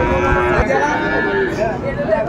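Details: Sahiwal bull calves at the start of the Ambari cattle market in Dinajpur, 6 January 2024: a long, steady, low droning moo held through the whole moment, layered with the chatter of buyers and sellers in a busy market crowd.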